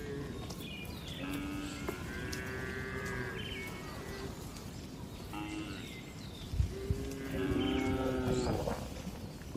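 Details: Tame cattle relaxing in a spacious farm barn, several overlapping moos with steady harmonic tones, some long and level, some rising, against constant barn noise and a brief clatter.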